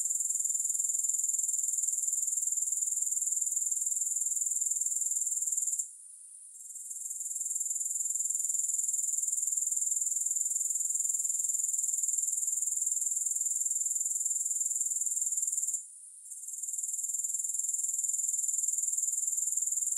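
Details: Grasshoppers give a continuous high, hissing trill pulsed roughly four times per second, with no music. The sound cuts out for two short gaps near six and sixteen seconds, then swells back each time.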